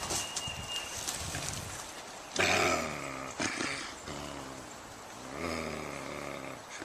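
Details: A young coyote, seemingly craving a deer, gives several drawn-out, harmonic whining calls, each swelling and fading over about a second.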